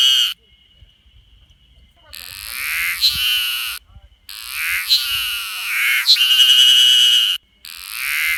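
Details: Ezo haruzemi cicada giving its distinctive call: loud, raspy, throbbing buzz bursts lasting one to three seconds each, broken by brief silent gaps, with a fainter thin whine heard between bursts.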